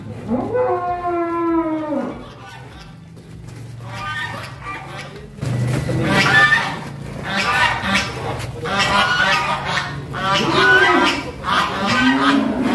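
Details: Cattle at a large farm in Central Java, Indonesia, during weighing: a drawn-out low moo with stacked harmonics opens, then gives way to people talking and handling noise for the rest.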